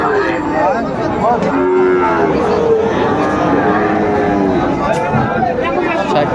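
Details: Sahiwal cattle, including a bull calf, at a Bangladeshi cattle market in Bogura on 19 August 2024. Overlapping lowing from several animals, some long and bending, others brief, runs through dense market crowd noise.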